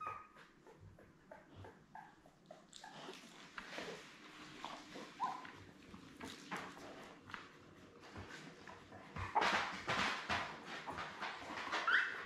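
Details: Seven newborn Labrador Retriever puppies, born May 24, 2021, with their mother Belle on an indoor puppy cam on June 4. Short, high squeaks and whimpers come through over constant rustling and shuffling, with louder bursts near the end.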